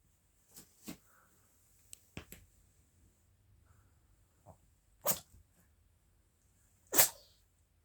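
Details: Chirol, a female Maltese–Shih Tzu cross with a Maltese father and Shih Tzu mother, born 22 July 2017. She sneezes in sharp, broadband bursts: small puffs near the start, then two loud sneezes about two seconds apart. The room is otherwise quiet.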